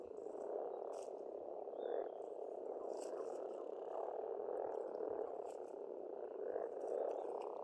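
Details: Frogs croaking in spring at a pond on an Estonian farmstead, a dense continuous low chorus with pulsing swells, faint high bird notes above.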